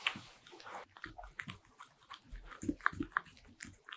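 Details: Bichon Frise dog eating butter-ring cookies indoors in a small room, irregular crisp crunches and wet chewing clicks in quick bursts, a few sharp bites standing out near the end.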